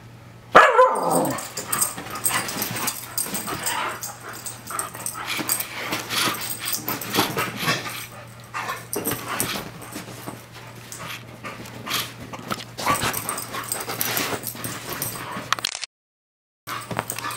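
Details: Two playing rescue dogs about two years old, Audi a black Australian Kelpie and Shelly a bulldog mix; a sharp bark opens, then continuous scuffling with growls, yips and huffs, a brief silent gap near the end.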